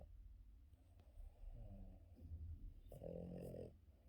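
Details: Boston Terrier dog asleep in the morning, snoring; soft low snuffling breaths give way to one harsh buzzing snore near the end, against a low rumbling indoor background.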